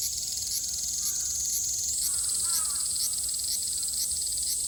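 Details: Cicadas in Japan in summer 2022: a steady, high, shrill buzzing drone with faint regular pulsing runs throughout. A brief lower, harsher bird-like call shows up around the second to third second.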